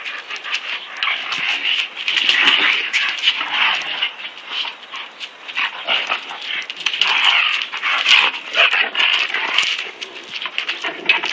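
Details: Two dogs play fighting, Koody, a German Shepherd and Rottweiler mix, and his taller cousin Kobe, a full German Shepherd; dense, rasping growls and snarls run almost without a break, surging and fading in rough bursts.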